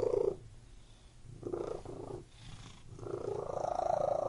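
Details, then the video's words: Pet cat rumbling in short purring bursts separated by softer pauses, the final stretch longer and rising slightly in pitch toward the end, recorded close with a low background drone. "CAT MEOWING AND PURRING"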